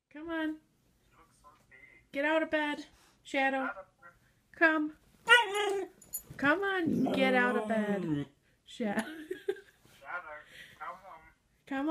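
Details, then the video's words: Pet Siberian Huskies "singing" and "talking" with drawn-out woo-woo vocal sounds, rising and falling harmonic howls in short bursts, the longest near the middle, mixed with people talking nearby in a small room. "Huskies Singing 🎤 | Husky Singing & Talking"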